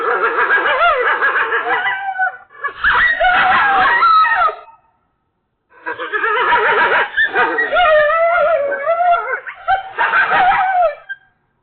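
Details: Coyotes freaking out in a loud, chaotic chorus of overlapping wavering howls and rapid yips, in two long bursts separated by a brief silence.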